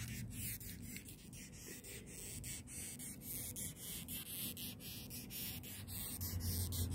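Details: A large longhorn beetle in Israel rears up and gives rasping, scratchy squeaks, about three a second, and hisses when touched.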